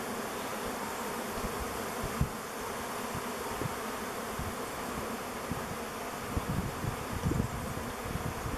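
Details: Honey bee swarm of thousands circling before settling into a log hive chosen as their future home; unbroken low buzzing drone with scattered faint taps.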